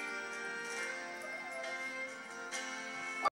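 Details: Sustained musical tones and chords fill the whole recording. No animal voice stands out above the music.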